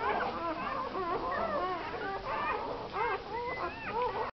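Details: Day-old American Staffordshire Terrier puppies, part of a nine-pup litter born Christmas Eve 2009 to a first-time mother; several overlapping thin whining squeaks with wavering, arching pitch, steady and unbroken until an abrupt end.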